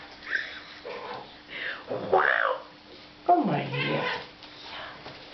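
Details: Hungry tomcat vocalizing when he smells food, making odd sounds his owners liken to a pig, pigeon, seagull or goat: a few bending, harmonic meows and squeals, the last a strong descending cry, with quiet indoor speech.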